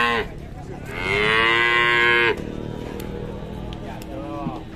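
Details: A fierce cow arriving at an Indonesian cattle pen gives a short low call, then a loud, drawn-out harmonic moo lasting over a second that cuts off sharply, over steady background hiss, with a fainter moo near the end.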